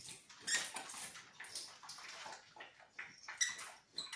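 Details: Beagle puppies in their seventh week giving high, thin squeaky whimpers in short overlapping bursts, several voices at once, with brief whistled tones in between.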